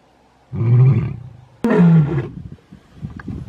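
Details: Male lions of the Mpondo coalition in South Africa give deep, rumbling roars in two heavy bursts, each booming low and then sliding downward.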